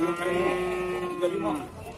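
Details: Moo from cattle at Bumiayu cattle market, Indonesia: a sustained, even, rich-toned bellow lasting well over a second before fading, set against the murmur of market voices and bargaining.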